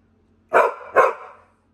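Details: Female Pit Bull named Mary, bored and complaining indoors because she cannot go out to the deck where food is on a hot grill; two quick rough barks half a second apart.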